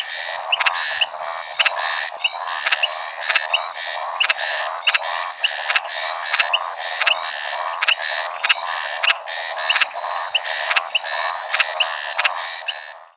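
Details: Repeated rasping croaks from a Maracas snouted treefrog (Scinax eurydice), a shy Brazilian frog, steady for about thirteen seconds with quick bright chirps between pulses and a thick chorus of frogs behind.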